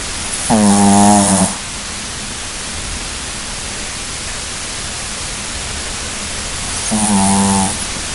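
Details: Sleeping puppy snoring indoors: two harmonic, droning snores about a second long each, roughly six seconds apart, over a steady hiss of background noise.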